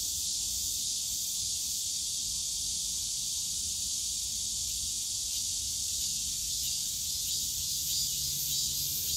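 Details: A summer-day cicada chorus from the bamboo forest at Yongsan Family Park: continuous hissing, sizzling buzz high in pitch that holds level throughout, over soft low-pitched ambient park noise.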